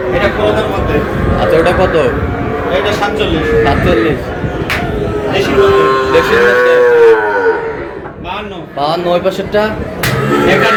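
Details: Among the young bull calves bought by a Narsingdi farmer on 6 July, men talk over a crowd of animals. One clear, arching moo stands out in the middle, with scattered calling around it.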